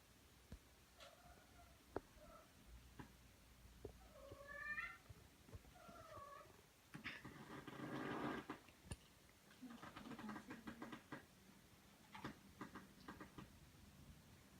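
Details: Two domestic cats, a newcomer meeting an older resident cat indoors in a small room; several rising and falling meows, then a harsher noisy scuffle-like burst, with quieter meows and faint household sounds afterwards.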